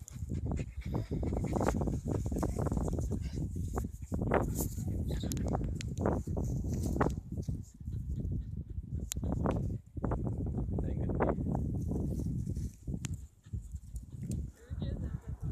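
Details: Rough Collie named Hazel barking on a walk on a sunny day while playing with a stick; rough, low barks in quick bursts fill most of the stretch, with a person talking in between and outdoor handling noise.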